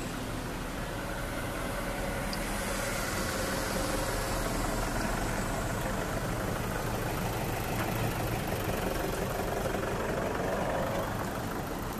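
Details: No clear animal sound is heard, only a steady, even rumble of broadband noise like an idling engine or wind.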